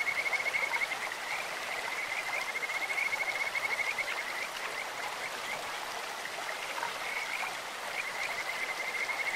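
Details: Clear stream with a Kajika frog croaking: a bright, high trill of fast pulses, strongest at the start and then repeated in steady phrases, over the even roar of flowing water.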